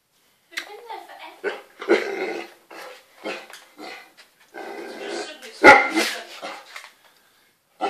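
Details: Young Great Dane, eight months old, worked up over a bath scrunchy, letting out rough barks and growly grumbles in a run of closely spaced bursts, with human voices over the top.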